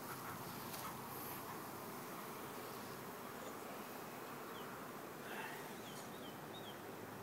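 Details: Many honey bees at a nearly full hive, opened for inspection as a super is added, make a steady, dense buzzing drone; keepers fear they may swarm this time of year.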